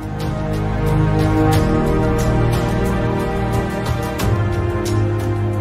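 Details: Soft, sustained new-age background music with gentle layered tones and a low bass throughout; no animal sounds.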